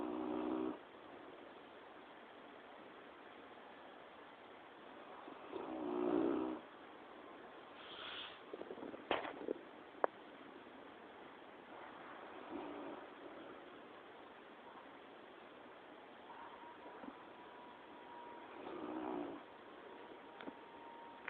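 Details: Quill, a dog asleep and relaxed, snores in brief rasping breaths every six to seven seconds, mixed with scattered small clicks and knocks and a thin steady tone near the end.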